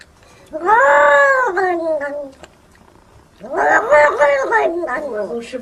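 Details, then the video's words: Domestic cat letting out a long, strained yowl that slides downward, then a second choppy, wavering cry after a short gap. "CATS SPEAKING & making wierd noises"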